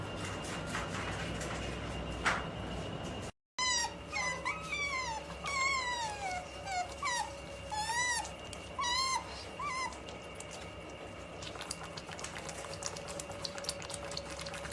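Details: Two otters making funny noises as they grow sleepy: a series of high, wavering squeaky chirps and rising-falling whistles grouped in short bursts over several seconds, over a steady hum and background noise, then fading out.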